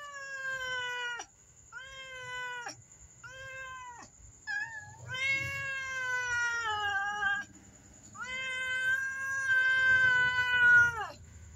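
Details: Black mother cat and kitten meow, asking for food in the morning: a run of loud, clear drawn-out meows, some short and falling, others long and wavering, with brief gaps between them.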